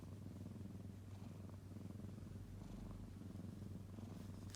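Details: Purring kitten, a continuous deep, even rumble with a fine pulsing texture and no breaks, plus faint soft rustles.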